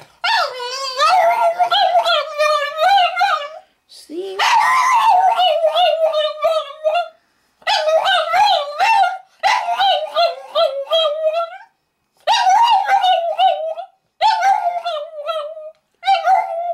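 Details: A male Boston Terrier, asked to sing, 'sings' in long, wavering, whiny howls broken into bursts of several seconds.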